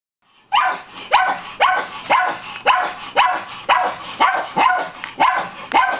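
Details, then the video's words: Dusty, a pet dog, barking at someone hiding in the back of a coat closet, July 20, 2011; sharp harmonic barks repeated about twice a second in a steady series of eleven after a brief quiet start. "Dusty barking at Miranda"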